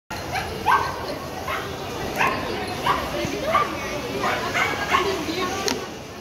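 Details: Three-month-old female teacup toy poodle playing at a shopping mall, giving short high yips repeated roughly every half second to second, over steady mall background noise with a person calling to her.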